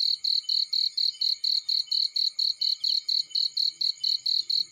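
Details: Field cricket heard beside a fireplace, producing loud, high-pitched chirps in a regular series of about four per second, each pulse short and shrill, over a quiet background.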